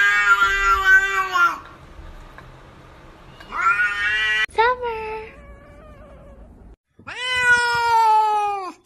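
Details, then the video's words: Pet cat giving three long, loud, drawn-out meows that sound almost like wailing, each with a strained, nasal quality, separated by short pauses, plus one sharp click midway. "cats speak now?"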